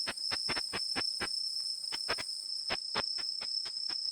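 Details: Unzen sasakirimodoki katydid (Tettigoniopsis ikezakii) from Japan, its ultrasonic call made audible with a bat detector: sharp dry clicks in irregular bursts, about eighteen in four seconds, over a steady high electronic whine.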